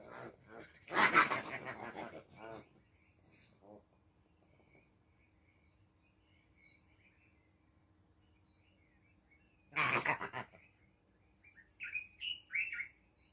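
A rock hyrax gives loud, harsh, squealing bursts, with faint bird chirps in the background.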